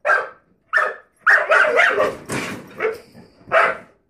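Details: Rosie, a puppy, barks at the drawer beneath an oven: five sharp, clear barks in quick succession, the middle ones run together into a longer rough volley.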